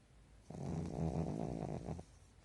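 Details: Pekingese snoring in REM sleep during a daytime nap indoors, its eyes not fully shut; a single low, vibrating, gravelly snore of about one and a half seconds, clear against near silence.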